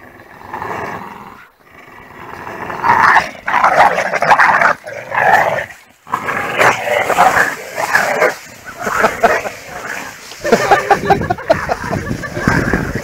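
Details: Two pit bull terriers, weighing 26 kg and 28 kg, play tug of war. They give rough, rasping growls in rising and falling bursts that run almost continuously. Short gaps break the growling, and a person's voice is heard briefly.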